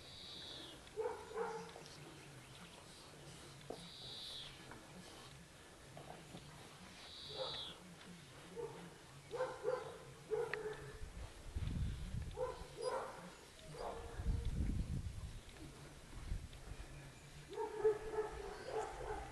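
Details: Twelve-week-old Dogo Canario puppies from a litter born 11.02.10 let out scattered short barks and yips through the clip, partly masked by low rumbling handling noise, with brief high whistling tones early on.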